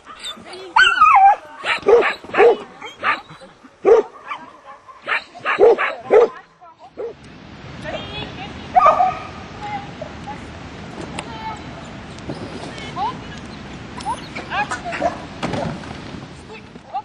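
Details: Border Collie during agility training, giving short sharp barks and yips in a burst of about eight over the first six seconds, then a stretch of busy background noise with a few more barks and people talking.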